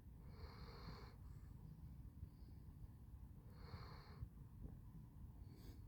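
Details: Handsome Jack, a Basset Hound, snoring while asleep: breathy, wheezing snores with a whistling edge, roughly every three seconds, over a steady low hum indoors.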